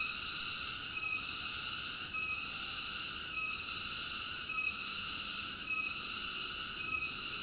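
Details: A cicada's continuous, piercing high whine with short regular dips roughly every 1.2 seconds. Nothing else is heard.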